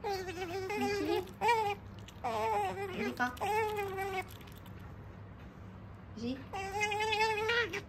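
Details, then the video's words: Eating pet otter Sakura, a female, keeps up her continuous "nyamu-nyamu" talk indoors: several sustained high whining squeals with small pitch wobbles, given in bursts of about a second, with a brief silent stretch before a final long whine. "食事をする３分間「にゃむにゃむ語」で喋り続けながら食べるカワウソ Otter eating while talking continuously"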